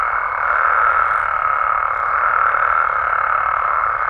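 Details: Mexican frogs and toads heard after dark, a steady massed croaking chorus, dense and unbroken, with a faint high sliding whistle near the start.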